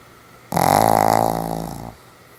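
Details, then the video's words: A sleeping Pomeranian called Sam makes one long, coarse, vibrating snore of roughly a second and a half, loud at onset, then gradually weakening before stopping sharply. "ポメラニアン サムちゃんのいびき 爆睡中目を覚まして起きるまで"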